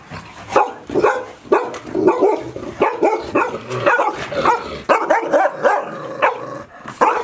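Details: Five Golden Retriever puppies, 158 days old, from Chiro's litter, kept indoors all day at Ain Village as Typhoon No. 24 approached, 30 September 2018; rapid overlapping barks and high yips burst out several times a second, playful and continuous.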